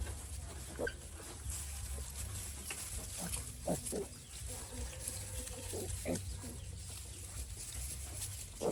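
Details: Grunts and short squeaky calls from a piglet that has been sick since little, scattered across the recording over a steady low mechanical drone.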